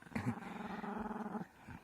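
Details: A Chihuahua growls indoors: one steady, low, rumbling growl lasting just over a second, then silence.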